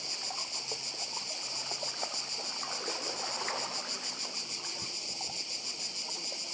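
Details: Chorus of cicadas on Croatia's Badija island: an unbroken high buzzing drone, rapidly pulsed, with gentle sea surf murmuring underneath.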